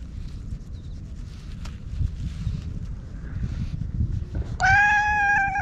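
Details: Stray orange tabby cat being groomed with a cat brush after rubbing against a person: several seconds of rustling and low handling noise, then one loud, sustained, flat meow at the end.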